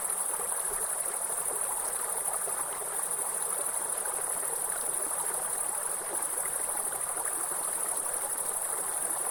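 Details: Continuous piercing high buzz of grasshoppers in a forest, level and unchanging, set against a dense wash of tumbling waterfall noise.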